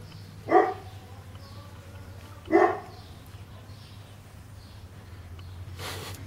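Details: Cane Corso puppies, 40 days old, playing in the yard of a kennel; two short, sharp yelping barks about two seconds apart over a steady low hum, followed by a brief noisy rustle near the end.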